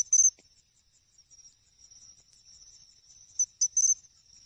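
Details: A pine cricket at a reservoir pond in Ehime, Japan, in August, sings a high, bright chirping trill with a few louder accented notes.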